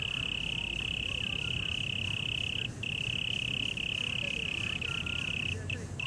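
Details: Cricket at Taipei Botanical Garden, Taiwan, holding a continuous thin, steady high trill with only a few brief breaks, over a deep low rumble of city traffic.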